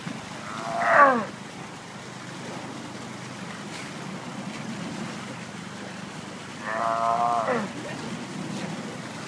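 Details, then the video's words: Zoo sea lion in heat, seeking a mate: two harmonic, braying calls about six seconds apart, each under a second long and slightly wavering, over a low steady hum, with Danish speech following. "Sea lion in Heat"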